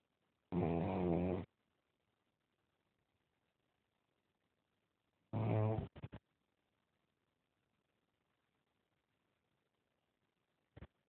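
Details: Sleeping pug snoring: two loud, rattling, harmonic snorts about five seconds apart, each roughly a second long, followed by near silence and a brief click near the end.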